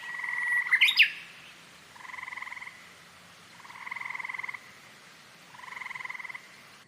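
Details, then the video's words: Green frog producing three drawn-out, buzzy pulsed croaks about two seconds apart, preceded by a brief sharp chirp near the start. "KATAK HIJAU || KATAK || KODOK || SUARA KATAK MERDU MENENANGKAN HATI"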